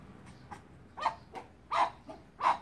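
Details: Chihuahuas, a small-dog family of an adult female, an adult male and their daughter, outdoors on a sunny day; short sharp yappy barks, three clear ones spaced about 0.7 seconds apart after faint earlier yips.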